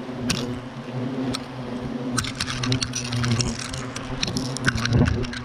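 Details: European hornets at Clavier, furious after their nest was destroyed, fill the air with a steady low droning hum in layered tones, overlapping wingbeats from many insects, with scattered sharp clicks and taps throughout.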